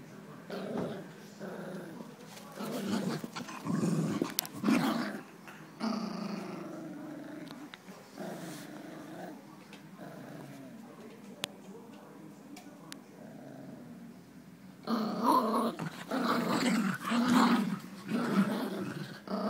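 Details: Two Jack Russell Terriers growling low and rumbling while playing tug-of-war indoors, in uneven bursts about once a second, with a human voice heard and a louder scuffle near the end.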